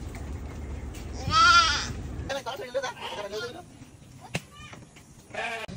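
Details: Goat bought for a father's aqiqah sacrifice gives one loud, wavering, nasal bleat lasting about half a second near the start, followed by people talking and a few fainter, shorter calls in the background.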